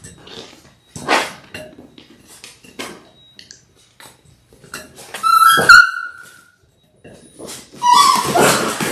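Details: Litter of six Labrador Retriever puppies in their sixth week, filmed indoors on a live puppy cam: scattered clicks and quiet sounds, then one sharp high yelp with a falling tail, followed by rough noisy vocalizing.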